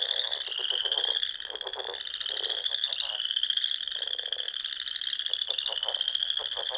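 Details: Nebraska Sandhills pond frogs in spring at dusk: an unbroken high trilling chorus, with clusters of rapid lower croaks repeating in short bursts.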